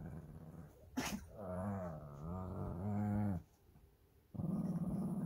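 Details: Shih Tzu brothers squabbling over a stuffed toy indoors, 13 March 2024: long low rumbling growls with wavering pitch, a sharp thump, a pause, then another growl starts.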